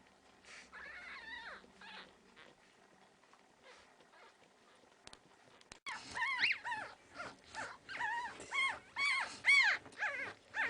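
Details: One-week-old Pekingese puppies at a kennel in Tallinn, Estonia, giving thin, high squealing whimpers that arch up and down, quiet at first, then a dense burst of loud overlapping cries in quick succession.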